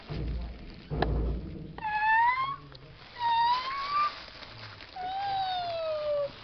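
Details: Domestic cat playing with a trash bag, giving three drawn-out meows, the first two rising and the last falling, each about a second long, with rustling thumps from the bag before them.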